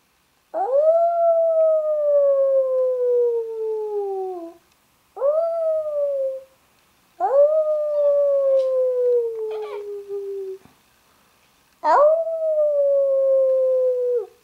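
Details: Female Labrador retriever puppy, one day in her new home, singing along with her owner: four long tonal howls, each rising sharply and then sliding slowly downward for two to four seconds, separated by short pauses.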